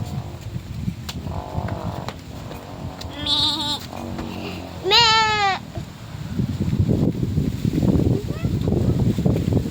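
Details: Newborn goat kids visiting a farm field in the Philippines: two wavering, nasal bleats stand out over constant rustling noise and people talking nearby.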